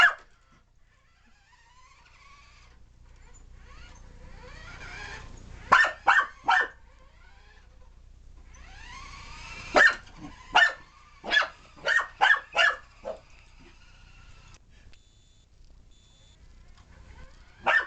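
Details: Alfie, a puppy, chases a remote control police-chase car the day after Christmas, barking excitedly; sharp high yelping barks come in quick bursts of two to four with pauses between, over faint toy-car whine and household background.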